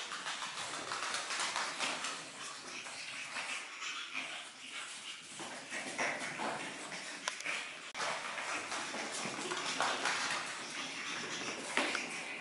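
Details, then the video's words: Seven-week-old Pug puppies, several together, make soft, continuous snuffling and scratchy rustling sounds, dotted with brief sharp clicks and faint whimper-like squeaks, all at low level throughout with no pause. "Kiera-Flava pug puppies, 7weeks"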